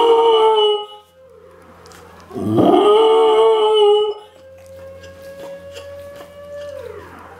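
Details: Female Samoyed, almost 11 months old, howling along with a civil defense siren on its monthly test; one sustained wavering howl, then the long steady siren tone continues alone, ending in a falling glide.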